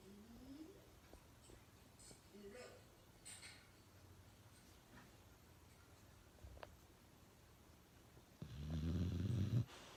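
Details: Uno, a pet dog, snoring loudly indoors: soft low rumbling breaths at first, then one loud, rough, deep snore lasting over a second near the end.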